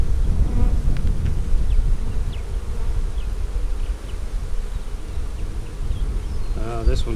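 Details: Low, continuous droning of honey bees from a colony split off a main hive in early March, opened for inspection in mid-April 2017. A hum fills the whole stretch, and a short human voice comes near the end.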